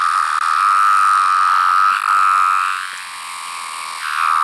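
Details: Larger variant of the 17-year periodical cicada, with yellow-brown striping under the abdomen, recorded up close: a steady high-pitched whine held for nearly three seconds, dipping briefly, then fading and swelling again near the end.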